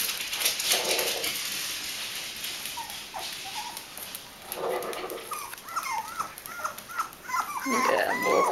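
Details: Bichon Frisé puppies aged five weeks and two days at a Danish kennel in Vejle. Short upward-sweeping squeaks repeat about twice a second in the latter half, turning into louder overlapping whines at the end, with muffled human voices and handling noise.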